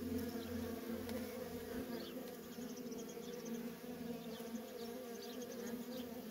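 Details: Feral honey bee colony with continuous worker traffic: an even, dense buzzing hum of many bees, individual wingbeat tones rising and fading as bees fly past, little else audible.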